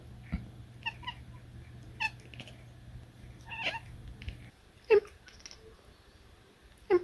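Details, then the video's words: Talking cat chirping and chattering indoors: a series of short, soft chirps and trills scattered through the clip, two louder sharp chirps near the end, with a low steady hum in the background. "adorable chirps and chatter talking cat"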